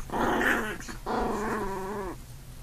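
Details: Puppy growls during play-fighting between a big brother puppy and a newborn sibling: two sustained harmonic growls, the second a steady rumbling tone lasting over a second before cutting off.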